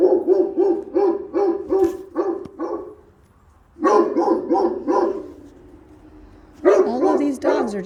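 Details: A domestic dog left on a balcony, barking constantly: rapid, evenly spaced barks come in three bursts, the first about three seconds long, separated by short quiet pauses with low background hum.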